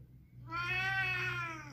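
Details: Oriental cat indoors, possibly watching birds outside, giving one long, loud, strongly harmonic meow lasting over a second, steady then slightly falling at the end, with a faint low hum behind.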